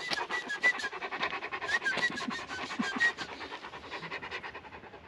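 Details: Tibetan Mastiff dog panting steadily, quick rhythmic breathy puffs repeated several times a second, with faint short chirps of a bird in the background.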